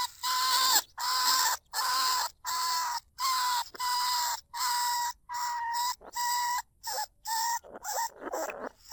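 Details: Lesser bandicoot rat in a trap cage in rice fields at Na Lao, Nong Khu Phai, calling out to draw other rats. Loud buzzy squeals repeat steadily, about one every 0.7 seconds, each harsh and evenly sized.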